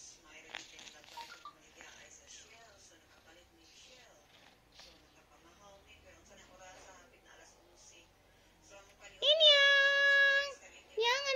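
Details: Pet cat giving one long, strained, crying meow held for over a second, followed by the start of another, after several seconds of people talking softly in a small room.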